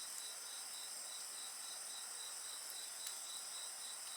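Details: Dense insect chorus, shrill and unbroken, pulsing roughly three to four times a second above sustained high ringing tones, with a faint crackle of bonfire in the background.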